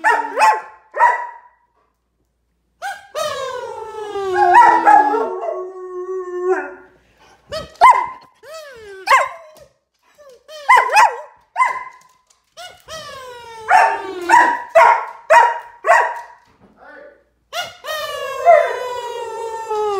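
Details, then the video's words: A German Shepherd going crazy over a kids' kazoo whines and yelps in repeated bursts, mixing short sharp cries with drawn-out falling whines across the recording. "Why do German Shepherds Whine"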